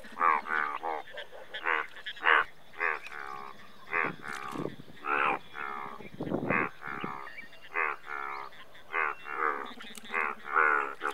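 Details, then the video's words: Dense chorus of Indian bullfrogs, the largest frog species in India, with many overlapping rough croaks in quick succession and a few deeper, longer calls mixed in. "Indian Bullfrog"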